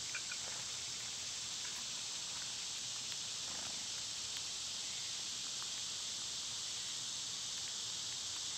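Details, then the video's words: Constant high hissing drone of summer cicadas, steady from start to finish, with scattered faint ticks and brief chirps from birds in the background. "Birds & Squirrels w/ Cicada sounds"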